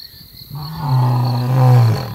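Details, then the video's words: A male lion of the Mapogo coalition gives a deep, rumbling roar, a low drawn-out groan that swells and then fades. "Male lions roaring"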